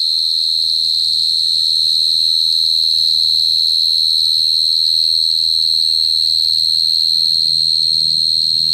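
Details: Unbroken high, ringing cricket song sustained at one pitch throughout, with a quiet low-frequency murmur beneath it.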